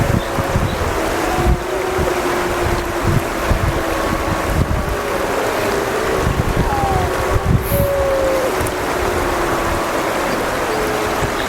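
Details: Wild gray wolves of Yellowstone's Wapiti family group howling back and forth with the 8 Mile family group, both groups having lost their breeding female. Several long, smooth, overlapping howls hold steady or slide gently, beneath heavy wind rumble.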